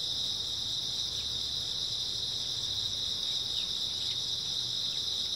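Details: Many grass insects chirring together through an early autumn night, a constant high-pitched buzzing wall of sound with a few faint short downward chirps near the end.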